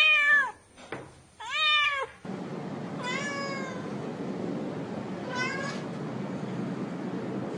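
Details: Domestic cat giving two quick, loud meows in succession, then quieter drawn-out meows. A steady rushing background noise runs through the rest.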